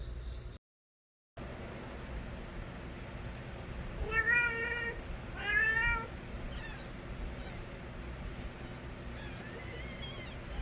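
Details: Stray kittens, the young of a cat named Nabi, crying loudly. Two strong harmonic meows come close together near the middle, then softer, higher-pitched cries follow later over a steady low background hum.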